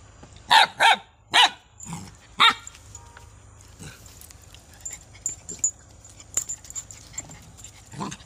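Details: Dog barking: five sharp barks in quick succession over the first two and a half seconds, then quieter scattered clicks and shuffling with a faint steady high tone in the background.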